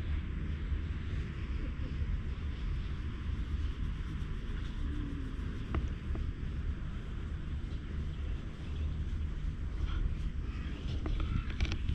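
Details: Steady low rumble of wind or distant traffic fills the whole stretch, with a few brief clicks and no animal voice.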